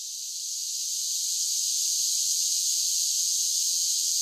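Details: Summer cicada song fades in over the first second, then settles into a constant, piercing, buzzy drone, no other animals or noise heard.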